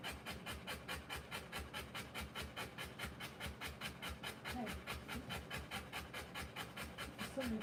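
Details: Rottweiler giving birth to puppies, panting hard in quick, steady breaths of about two per second throughout, each a breathy rasping puff, with faint soft squeaks in the background.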